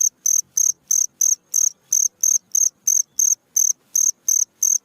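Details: A cricket sings at night, a recording meant for training cage birds: crisp, high, buzzy chirps evenly spaced at about three per second, with faint low rustles between them.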